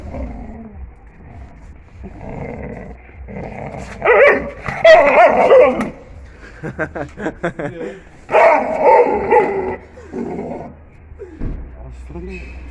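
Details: Sivas Kangal puppy busy with a bone, giving repeated rough growling bursts broken by snarling, barking snaps, loudest in two long spells, with a person talking between them and remarking that it bites.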